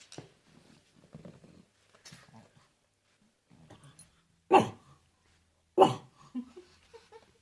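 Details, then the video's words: Indoors, Derp the pet pug, having a hard time, makes soft snuffling grunts and low mutters, then two sharp, loud barks about a second apart, followed by quiet whines. "Pugs life, funny sounds compilation"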